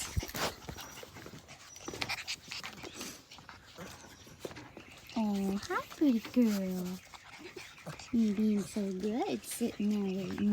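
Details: Australian Cattle Dog puppies playing: after quiet rustling, a run of rising-and-falling whiny yelps arrives in two clusters, each short cry bending sharply in pitch.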